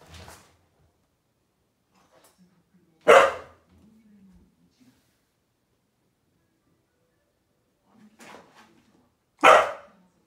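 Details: Akita named Patako giving an extremely long "itadakimasu" before eating; two loud, short, bark-like calls about six seconds apart, with faint softer murmurs and small sounds between them in a quiet room.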